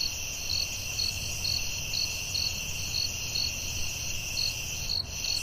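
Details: Forest crickets at night keep up an unbroken shrill trill, pulsing roughly twice a second, with a faint low rumble beneath.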